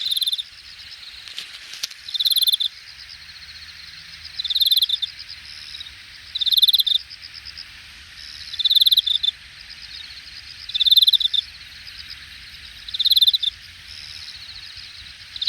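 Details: Insects singing in the grass in late summer, August 2021, Jamwon area of Hangang Park, Korea; pulsed high-pitched trill bursts roughly every two seconds over a steady high drone and low rumble.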